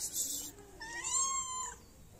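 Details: Hungry stray cat in a Moroccan city, seeking food and attention from the person who feeds it; one clear drawn-out meow that rises and then falls, after a brief hissing rustle.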